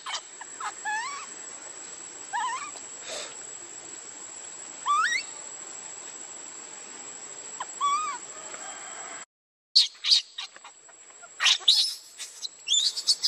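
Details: Baby monkey Lucie cries while begging her mother for milk and being refused. Short, rising, squealing cries sweep upward, some in quick pairs, spaced a few seconds apart over a steady high hiss. Sharp clicks and rustles follow a brief break.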